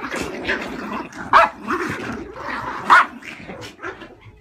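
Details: Several house terriers in a tug of war, squabbling over a toy: steady throaty growling underneath, broken by two sharp loud barks about one and a half seconds apart, plus softer yips, indoors.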